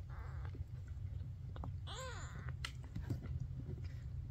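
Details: Maine Coon kitten Ash, the last of his litter to open his eyes, gives one short arched mew near the middle, high and thin with a rise and fall. A steady low rumble runs underneath, with a few faint clicks.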